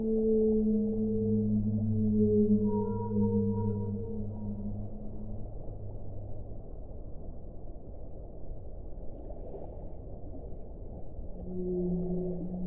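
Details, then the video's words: Whale song: long, low tonal moans with stacked harmonics, held for several seconds and overlapping, then a brief high wavering note and a fresh pair of low tones near the end, over a steady underwater rumble. "1 ora di suono delle balene"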